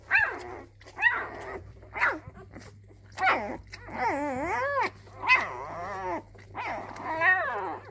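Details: A young male Labrador puppy discovering his voice gives high, squeaky yips and wavering, howl-like whines in short bursts.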